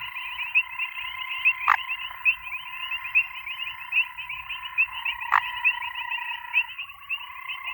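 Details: Grey foam-nest tree frog (Chiromantis xerampelina) calling: a dense, rapidly pulsing, buzzy chorus of croaking calls.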